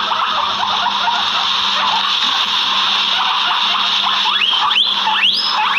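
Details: Guinea pigs in the backyard, a few loud rising wheeks bursting out near the end over a steady high hiss and low hum.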